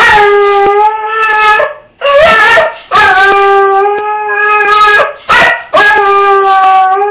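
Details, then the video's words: Distressed pet dog wearing an argyle sweater, left alone as its owner goes to work, gives sustained mournful howling whines, steady and slightly wavering, broken by short gasping gaps about every one to two seconds. "Dog in Distress"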